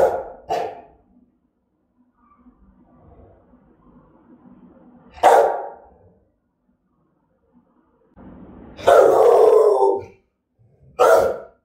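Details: Threatening barks from an aggressive Rottweiler: two quick sharp barks, a long quiet stretch with faint rumbling, a lone bark, then a drawn-out harsh roaring bark and one last short bark.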